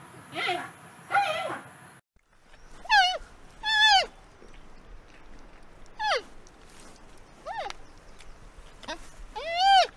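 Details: Giant panda producing clear, falling, whine-like bleats with bright overtones, about seven spread across the stretch, after two coarser, noisier cries at the start.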